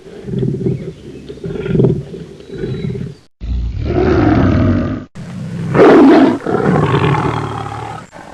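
A tiger roars in deep, rumbling bursts that swell loudly and then fall away.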